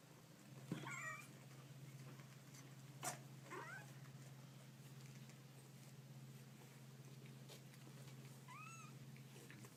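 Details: Kittens giving brief, soft mews: one early, one after a sharp knock, and a clearer curving mew near the end, all over a prominent low electrical hum and scattered clicks.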